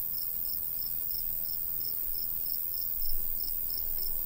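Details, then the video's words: In summertime countryside near a golden wheat field, a cricket gives evenly spaced high chirps about three per second, backed by continuous hiss and low breeze noise, with a brief louder gust near the end. "Countryside/cricket sounds"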